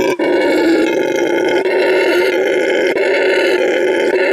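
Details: Male red howler monkey at La Senda Verde Animal Refuge, Bolivia, showing vocal stamina: a loud, continuous, rasping roar with dense stacked harmonics, held steadily with a brief break near the start.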